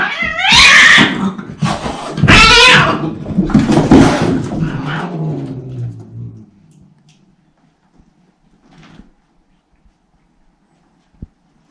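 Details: Bengal cats in a cat fight, with Shiro, a silver male Bengal kitten, Simmi, a brown female Bengal kitten, and Tom, a black-and-white male cat, indoors: loud harsh yowls and screeching wails in three bursts over six seconds, then quiet with faint rustles.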